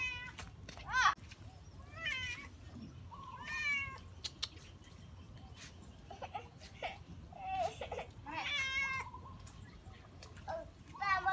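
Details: Cat found playing in water meows repeatedly, short bright calls roughly every one to two seconds, some rising then falling, over a soft background hiss with faint voices.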